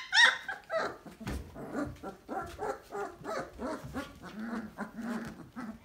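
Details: Basset Hound puppies aged three weeks and two days, in the whelping box, make a steady run of low whimpering grunts and squeaks roughly every half second, with one sharper yelp at the start.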